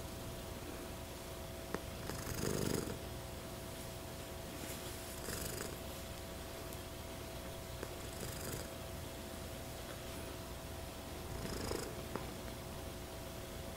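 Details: A female American Shorthair cat, a silver patched tabby, purrs in a steady, low rumble, with a breathy surge every few seconds.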